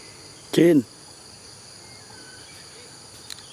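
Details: Monkey named Jane making a strange noise: one short, loud, harmonic cry lasting about a third of a second, arching up then down, followed by quiet with a steady high-pitched background hum.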